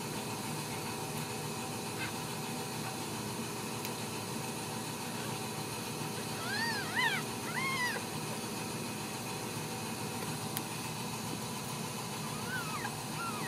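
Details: Ragdoll kittens born and raised in a home cattery in central Kansas, kept without cages; a few short, high, arching mews come in a cluster midway and again near the end over steady background hiss.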